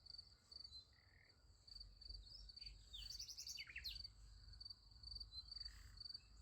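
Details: A high, even cricket trill fills a night beside a sunflower field, interrupted midway by a cluster of quick descending bird chirps over a faint low rumble.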